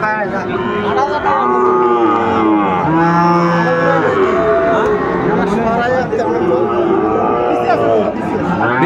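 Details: Sahiwal bull trading at the Ambari cattle market, Netrokona, Bangladesh, 8 November 2024; several drawn-out, rising-and-falling moos follow one another over a busy background of voices.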